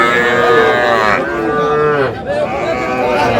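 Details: Small bull and heifer calves in Faridpur, Bangladesh, 1 August, being sold to a farmer: a sustained mid-pitched moo for about a second, then a shorter bending call, over continuous background talk from people nearby.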